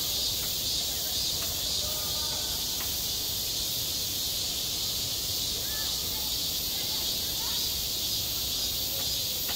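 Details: Cicadas droning in the heat of summer on a school playground, a continuous shrill electric hiss with a few faint ticks and distant murmurs in the background.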